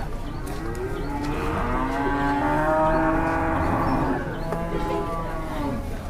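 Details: Long drawn-out bellow from a raging cow described as possessed. The moo holds a rich, even tone for about two and a half seconds and then fades, with a low rumble of background noise beneath.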